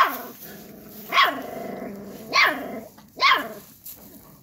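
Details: Akbash dog puppies, a guard dog breed, giving three sharp barks about a second apart over a steady background of low growling and grumbling.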